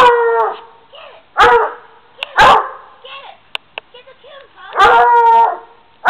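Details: Black and Tan Coonhound finding a stuffed raccoon up in a tree, giving loud drawn-out baying howls in three main bursts with short yips between them.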